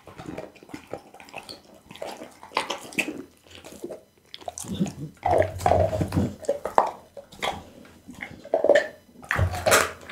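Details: Bounce, a pit bull, chewing raw meals of loach, tuna, beef kidney, lamb backbone and horse meat indoors; moist smacking, slurping and crunching come in uneven bursts, louder in the second half, with a low rumble beneath.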